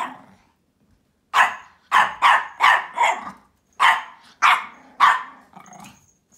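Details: Shrill puppy yaps from Mimi, a 12-week-old Pomeranian: after a brief pause, a burst of five quick barks, then three more, ending on a softer yip.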